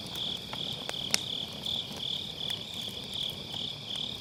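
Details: Grass insects on an autumn night near a campfire in a round fire pit, MKE600 mic with low cut; a high-pitched trill pulses about three times per second while firewood crackles with several sharp pops.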